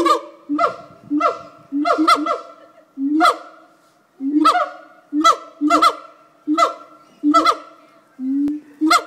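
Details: Siamang gibbons at Fota Wildlife Park, Cork Harbour, give their daily call, carrying about 5 miles: loud, honking barks in an irregular series, each rising sharply then holding steady.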